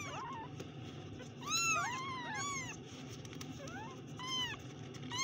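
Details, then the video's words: Several kittens mew at once, thin high arching calls overlapping and crowding together, louder bursts midway and near the end, with a constant low hum underneath. "kittens Meow"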